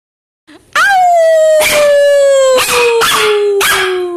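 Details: Shih Tzu-Pekingese mix dog. A Shih Tzu-Pekingese mix holds one drawn-out, tuneful howl that starts fairly high and gradually slides lower over several seconds. Short, harsh bursts break in about once a second beneath the steady tone.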